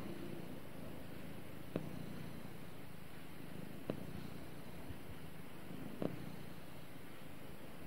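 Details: Pet cat purring while it snuggles with its owner; a quiet continuous low-pitched rumble with three faint clicks spaced about two seconds apart, indoors and otherwise calm.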